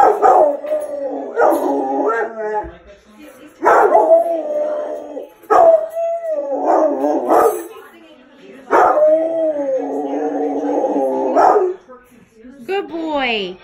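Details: A Rottweiler howls along to the Cops theme song in long, wavering, tuneful bursts, as if singing.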